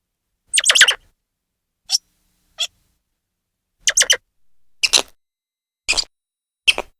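A grey squirrel gives sharp, high chirps in short bursts, separated by brief silences.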